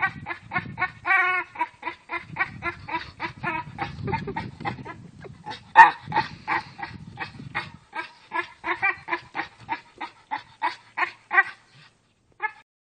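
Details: Staffordshire Bull Terrier playing with a tire gives a rapid series of voiced, wheezy huffs, like short grunts, over low scuffling noise. The scuffling stops partway through, and the huffs then slow, become spaced out, and fade to a final few.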